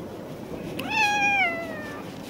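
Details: Tuxedo stray cat with a little mustache marking, mewing during brushing and grooming: one drawn-out meow that climbs quickly, then slides slowly downward for about a second over a quiet room-like background.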